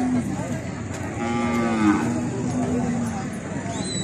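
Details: Cattle during natural mating, a drawn-out low moo with rising, wavering harmonics from about one to two and a half seconds, steady background noise, and a brief high whistle-like sound near the end.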